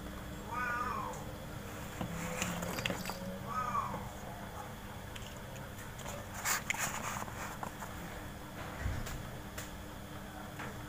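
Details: Cats of different sizes play together in a front-yard cage. Two brief wavering meows come early, about two seconds apart, followed by clattering knocks and rustling from the play, with a constant faint hum underneath.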